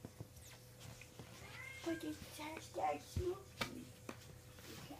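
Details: Kittens indoors in a small room give short, thin, high mews in a quick irregular cluster, some rising and falling, while a person talks over them and soft handling noises sound in the background.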